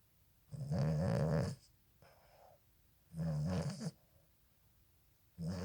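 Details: A Boston Terrier puppy sleeping with its eyes open snores in slow, rattling breaths, each rumbling snort coming about every two and a half seconds.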